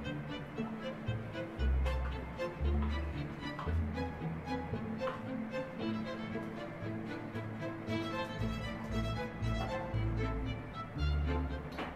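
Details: Steady background music with a heavy bass pulse, string-like tones and faint speech; no animal sound.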